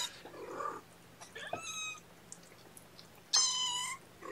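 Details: Kittens being syringe-fed formula in the morning, 8 May 2018, indoors; two shrill, piercing mews, a short one then a longer, louder cry, among soft rustles and handling sounds.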